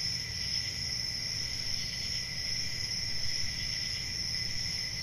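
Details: Crickets trill steadily through a summer night in the forest, a high, even ringing with a softer lower tone and only slight pulsing, set against a low background hum.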